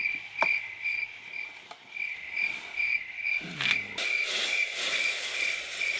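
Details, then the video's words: Nightfall on a quiet farm, crickets calling: evenly spaced shrill chirps about twice a second, a couple of sharp clicks, then a broad rushing hiss swelling up beneath the chirping for the last two seconds. "Natten har falt på, og gården er så stille at jeg tydelig kan høre sirisser og frosker."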